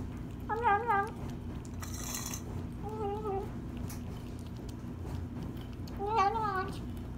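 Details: Rescued female kitten eating her first meal after five days stuck in a tree: three harmonic meows, rising then falling, spaced a few seconds apart, with a brief hiss of noise and steady low background hum.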